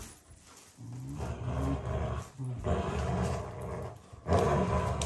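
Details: Shiba Inu, a loving family pet competing with a Labrador for its owners' affection, growling as an affectionate expression rather than anger: a continuous low, rough rumble with a few swelling bursts, loudest near the end.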